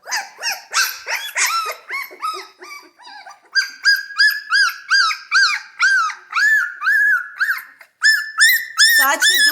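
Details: Several Central Asian Shepherd puppies bark, growl and yelp together in high, arched, whining notes; the owner suspects they want to eat.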